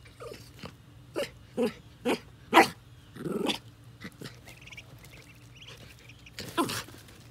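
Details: Jack Russell Terrier in a yard meeting baby ducklings on their first day out: a run of short, sharp yaps and whimpers in quick succession, a brief pause, then one longer, louder burst near the end.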